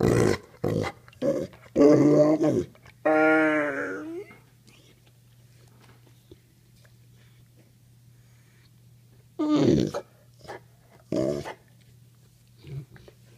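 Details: Pitbull Mastiff, a male pet, "talking" to say I love you: growly rumbling bursts and a long drawn-out whining moan, then quiet with scattered later grumbles, a person's voice in between and a constant indoor hum.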